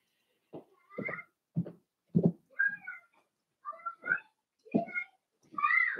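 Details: In a puppy pen, Daisy's four-week-old Cavalier King Charles Spaniel puppies give a quick run of short yelps, then several rising and falling whines, about a dozen cries in six seconds, indoors.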